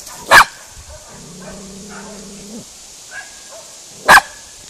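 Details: Miniature schnauzer Spizy, a female trying unsuccessfully to chase off cows she is meeting for the first time, gives two sharp barks about four seconds apart; a low, drawn-out cow moo sounds between them.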